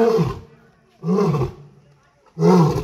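A lion gives deep, rasping roars in short bursts, about one every second and a half.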